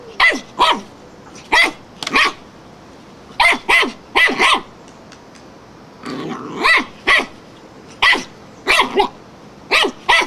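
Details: Wire-haired fox terrier barking madly at a flowerpot: sharp, high, rapid barks in clusters of two or three, about sixteen in ten seconds, with a brief rough growl-like burst near the middle.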